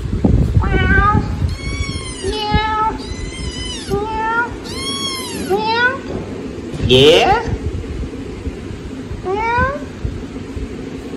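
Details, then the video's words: Several baby kittens meowing loudly while asking for food: a fast run of high, arching meows, some rising and some falling, with a person speaking softly at the start and a brief rustling burst midway. "Cutest Kittens Meowing Loudly ASKING Daddy for Foods"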